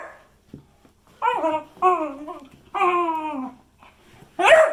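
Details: Beagle voicing drawn-out, wavering howl-like notes with clear harmonics, three sustained tones that slide slightly downward, ending in one sharp bark.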